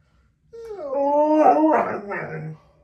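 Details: A husky dog indoors howls after being set off by a simple laugh. One smooth, tonal howl rises, holds steady for over a second, then breaks into rougher, wavering notes before fading, with no other clear sounds.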